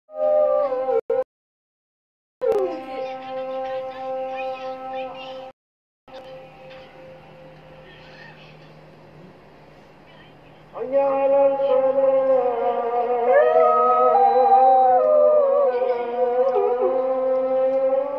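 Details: Samoyed named Robin howling with the dawn call to prayer: after brief silent gaps, a long sustained howl swells at the end, its pitch wavering up and down over layered harmonics, with a droning voice underneath.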